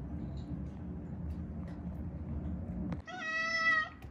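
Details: Rescued Haeundae street cat, one of a mother-and-daughter pair that survived seven years with bones broken in a traffic accident; after a stretch of low background hum, one clear, steady, tonal meow lasting almost a second.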